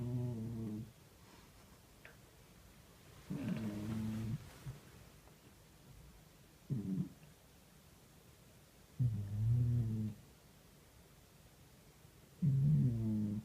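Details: Cat snoring in its sleep, a series of five low, throaty, rumbling snores repeated roughly every three seconds, each about a second long, in a quiet indoor room.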